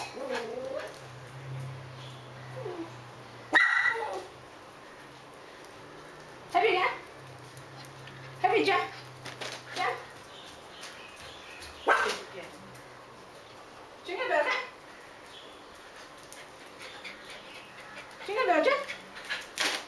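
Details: Miniature Schnauzers jumping hurdles indoors at home: short, sharp barks come in bursts every couple of seconds, mixed with a person's voice and a low hum in the first half.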